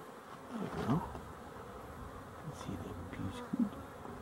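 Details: Honey bees, dated 12-11-23: a low, even droning hum fills the background while single bees zip past close by in short, swooping buzzes near the start and again toward the end.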